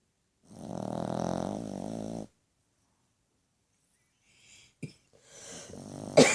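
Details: Sleeping dog snoring louder than a human: one long, rasping, buzzy snore lasting about two seconds, followed by silence, then faint rustling, a sharp click and a short burst of noise.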